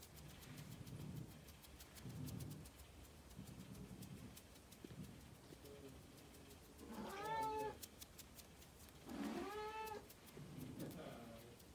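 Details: Ragdoll kittens reacting to fluttering fingers; one gives two clear, rising-then-falling meows over soft rustling and tapping.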